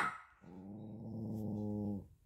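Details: Baby poodle growling in offence at food offered on paper, in a small indoor room: one sustained, even, low rumbling growl lasting about one and a half seconds, ending abruptly.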